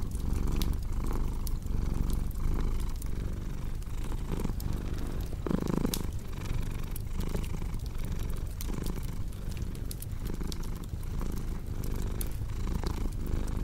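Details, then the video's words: Domestic cat purring steadily, a low rumbling drone pulsing with each breath in and out, under the soft pops and snaps of a crackling fireplace. "Purring Cat"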